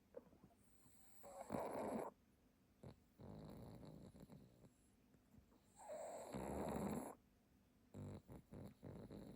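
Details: A pug napping on a cushion snores with harsh, rattling inhalations that swell and fade over about a second, several seconds apart, with softer snuffling breaths filling the gaps between the two big snores.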